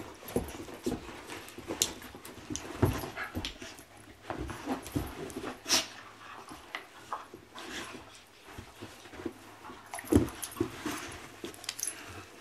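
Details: Two puppies, Macky and Remy, playing together indoors in a small room; bursts of snorts, whimpers and panting come in quick irregular clusters, with scuffling and thumps between them.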